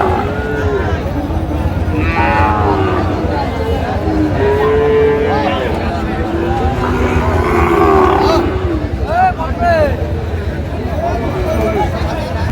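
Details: Sahiwal bull calves for sale at a busy cattle market, with a farmer from Jessore buying: repeated long, wavering moos and a few short lowing calls amid constant talk and crowd noise.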